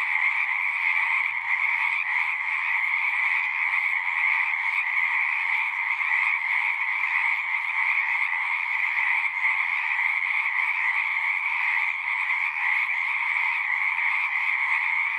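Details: Frogs singing in a natural setting: a dense, continuous chorus of overlapping trilled croaks forming a steady bright buzz with a lower band beneath, unbroken for the whole stretch, with no other clear sounds.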